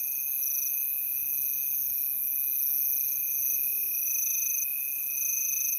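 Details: Crickets calling in an unbroken chorus, steady high trills layered in several pitch bands, one band pulsing on and off while the others hold constant, with no other clear sounds.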